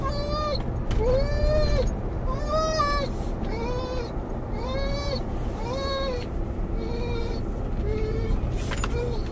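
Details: A muzzled Doberman/collie cross, Mungle, whines in the car for his missing Moromom toy as it draws closer: a steady series of arched, nasal whines, roughly one per second, over a low engine drone.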